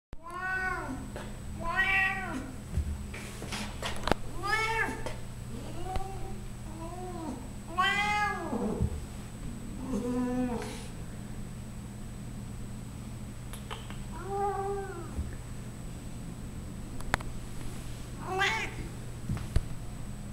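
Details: Loud 14-year-old female Siamese cat showing off her belly, giving about ten drawn-out, arching meows with rich harmonics, mostly in close succession, with short pauses before a few last calls, over a steady low hum.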